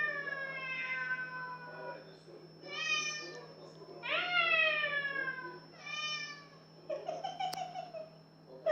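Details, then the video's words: Domestic cat singing a run of five meows, long wavering notes alternating with shorter falling ones, ending in a lower drawn-out call; a sharp click near the end and constant low hum. "Singing cat Поющая кошка"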